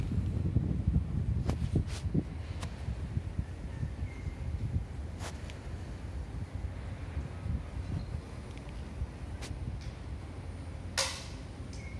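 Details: Outdoor ambience with steady low rumble and wind-like noise, scattered clicks and taps, and a brief sharp broadband burst near the end; no animal voice is heard.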